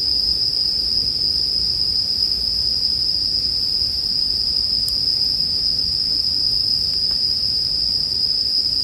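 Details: Bell cricket song as calm night ambience: an even, sustained high ringing tone, with only one or two faint pops from the accompanying campfire.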